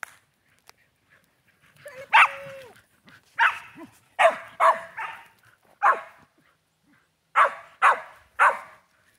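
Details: Shetland Sheepdogs playing with a new flying squirrel toy. Sharp, loud barks come in short bursts about once a second, with a drawn-out whine near the start and brief pauses between volleys.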